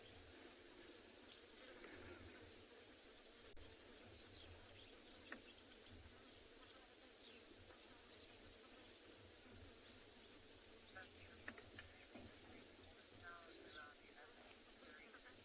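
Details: Cicadas calling in the distance in the Kalahari during summer, one continuous, steady, high-pitched whine with no break, over a low rumble and a few faint clicks.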